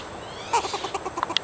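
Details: A squirrel at a hike and bike trail, asking for a nut, gives a quick series of short, sharp chucks and chirps, about eight bursts within one second, over a quiet background with a faint steady high-pitched hiss.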